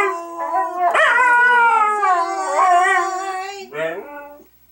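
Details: Two Siberian Huskies singing "Auld Lang Syne" together with a woman: sustained, wavering tonal howls with rich harmonics, overlapping voices sliding in pitch, ending with a short rising howl.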